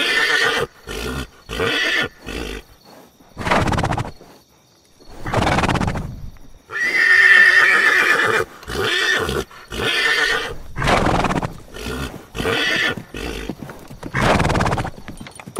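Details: Horses give a string of loud, breathy, broadband bursts with short gaps between them. One burst near the middle carries a thin, steady tonal whinny line, and the rest sound rough and noisy.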